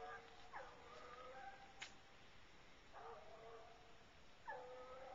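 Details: Two Bluetick Coonhounds on a coon hunt, running a track through corn before treeing in woods; distant, faint drawn-out bawling bays with a rising onset, spaced a second or more apart over a low background hiss.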